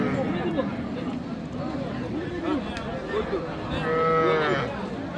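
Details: Cows with calves for sale at a cattle haat in Dinajpur, Bangladesh; a short moo near the end follows several seconds of crowd chatter and speech in the busy market.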